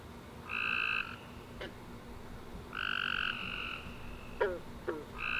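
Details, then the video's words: Night chorus of tree frogs after a rainy summer day, with long bright two-toned chirps separated by pauses, overlapping calls near the end, short snapping clicks, and a low steady background hum. "Tree Frog Chorus After A Warm Rainy Day"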